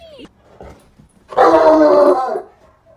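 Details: Domestic dog giving a single drawn-out, tonal yowl of about one second, steady in pitch, with faint rustling before and after.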